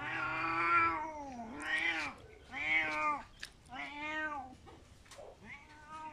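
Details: Cat crying in a run of five arched meows, each swelling and dipping in pitch with bright harmonics, repeated roughly every second, the first long and loud, later ones shorter and fading, indoors with faint background rustle.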